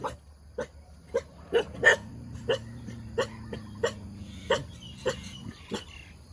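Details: Cheerful dog wagging its tail, giving a long run of short, clipped barks repeated roughly every half second, moderately loud over a low droning background.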